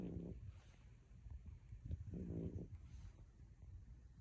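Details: A sleeping French Bulldog snoring: low rumbling snorts, two louder pulses near the start and at two to two and a half seconds, with a deep droning undertone.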